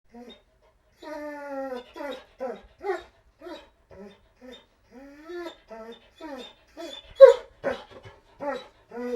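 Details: Dog whining while begging: a long, drawn-out tonal whine, then a run of short, high whimpers and yelps that rise and fall in irregular bursts, with brief silences between them and no other clear sounds.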